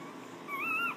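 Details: A two-day-old female English Bulldog puppy in Wichita, Kansas, taken out of her box, gives a brief, thin, high whine that rises slightly and then drops away.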